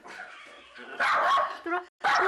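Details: Miniature Schnauzer named Byeol barking endlessly at sewing class students arriving at the workshop; a low murmur gives way to harsh, loud barks, broken by a brief voice and a final sharp bark.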